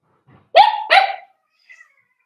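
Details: Four-week-old Cavalier King Charles Spaniel puppies in a home puppy pen, being socialized with other dogs and offered puppy mash: two short, tonal, high cries, each rising and then sliding down, in quick succession, then quiet.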